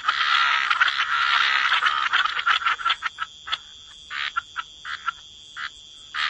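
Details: Frogs croaking by the waterside, a dense overlapping chorus of raspy calls centred mid-pitch, thinning after three seconds into separate short croaks with brief pauses between them; a steady high insect-like hum runs throughout.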